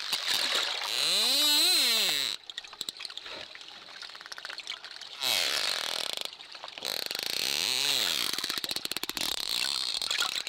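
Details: Dolphin whistles, long arching and wavering tones that rise and fall, broken by rapid buzzing click trains and short gaps of quiet.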